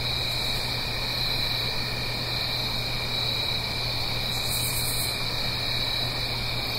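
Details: Autumn night chorus of crickets in the Blue Ridge Mountains near a gentle stream: continuous high-pitched trilling in two steady layers, a brief very high shimmering burst near the end, all over a constant rushing background of flowing water.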